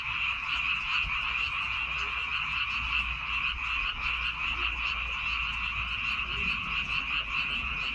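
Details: A great many frogs calling from rice fields on Baengnyeongdo Island, South Korea: dense, rapid croaking merges into one even, high-pitched rattling drone throughout, with little other sound.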